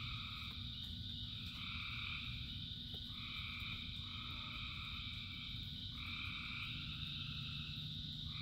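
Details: Frogs calling in rain: overlapping extended nasal croaks of one to two seconds repeat across the chorus, with constant background hiss and low-frequency rumble of falling rain.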